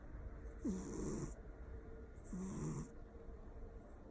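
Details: Loud snoring from a sleeping Persian cat: two snores close together, each a short upward whine sliding into a low rattling drone, with soft hiss as air is drawn in.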